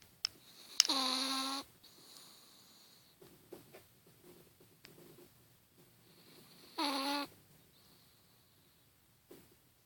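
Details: Sleeping Chihuahua snoring: two tonal, nasal snores about six seconds apart, each sliding down from a high whine to a steady low hum rich in overtones, with faint soft clicks and rustles between breaths.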